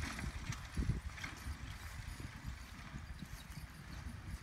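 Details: Team of two full-brother Percheron geldings, nine and ten years old, travelling down a road; faint, irregular low hoof clops on the road surface over steady background rumble.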